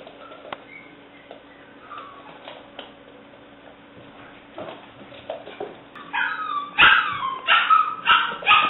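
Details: Seven-week-old female English Springer Spaniel puppy, black and white tricolour, recorded 17 May 2009; after quiet background, a run of high, bending yips and whimpering barks bunches up over the last three seconds.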